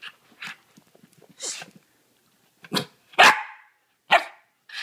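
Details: A dachshund obsessed with a stuffing-free squeaky fabric toy, trying to "kill" the squeaker, gives short, sharp barks at uneven intervals, with quieter squeaks from the toy in between.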